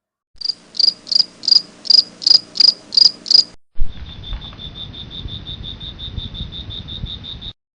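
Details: Insects calling from water in grassland, Kohora zone, Kaziranga National Park, Assam, India, on an evening safari, where a large lizard crept into the grass to eat them. Sharp high chirps about three per second, then a faster, softer, even train of ticks.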